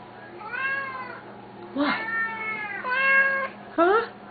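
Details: Two pet Siamese cats calling loudly indoors at feeding time, a routine repeated three times a day: long drawn-out harmonic meows, some rising and falling, four calls in a few seconds, with low household hum beneath.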